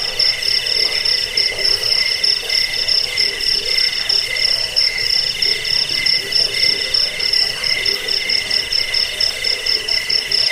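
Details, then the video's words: Jangkrik crickets, played to drive off rats, lull listeners to sleep and train birds: unbroken high, ringing chirps in fast pulses, a second lower trill band beneath, and a murmuring low chorus behind. "Suara jangkik pengusir tikus pengantar tidur"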